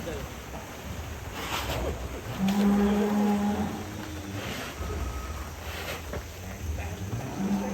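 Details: Large cattle in Indonesia outdoors in rain, a steady low moo drawn out for about a second and a half, with a man talking nearby, rain noise and a short second low call near the end.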